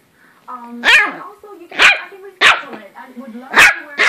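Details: An 8-week-old West Highland White Terrier puppy gives sharp, high-pitched yaps about once a second.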